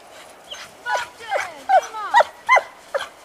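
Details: Giant Schnauzers Alba of Heart and Heart Boy Radinie, happy on a winter walk: about seven sharp, high yelping whines in quick succession, each sliding downward, with light background noise outdoors.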